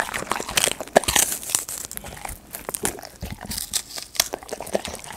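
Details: Close-miked golden retriever indoors, crunching and tearing at treats such as dried snacks, fruit or vegetables: crinkly, crackling bites, a few sharp snaps, steady uneven gnawing throughout.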